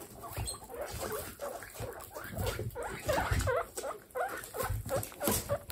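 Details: Baby guinea pigs in a large indoor group, a quick series of short rising and falling squeaks, several per second, over rustling and pattering of movement.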